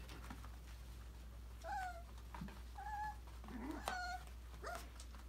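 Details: Australian Labradoodle puppies, five weeks old, from a December litter, playing and exploring in an enrichment playground during autumn. Faint, thin, whistled whines with slight rises and falls come in short separate bursts, with soft thumps and a steady low hum indoors.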